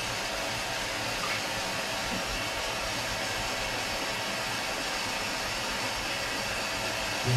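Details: Constant roaring hiss, like a strong stream of water or a motor, fills the whole recording without any animal sound.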